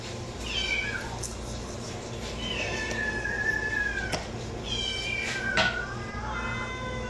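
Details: Cat meowing, from a set of sounds meant to attract cats; a few long, falling meows over a steady low hum.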